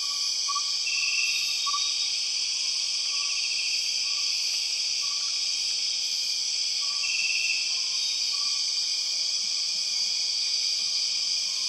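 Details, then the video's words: Empress cicada, also called the 6 o'clock cicada, in the Borneo rainforest: a loud, steady, high-pitched metallic drone in several bands, with short whistled notes and a repeating buzzy trill beneath. "The weird sound of empress cicadas"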